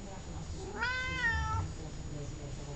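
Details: A long, clear meow from Columbus, the chatty house cat, steady in pitch and then dropping at the end, lasting almost a second; a person repeats the cat's name around it.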